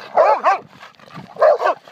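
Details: Two pet dogs playing noisily, one barking back at the other: two pairs of loud, short, rough barks in quick succession, separated by a softer pause with faint growling.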